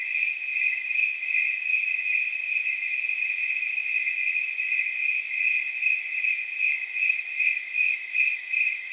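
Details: Jingle-bell chirps of a snowy tree cricket on a roughly 79-degree night: a high, clean tone pulsed rhythmically about 154 times a minute, steady and uninterrupted in a quiet background.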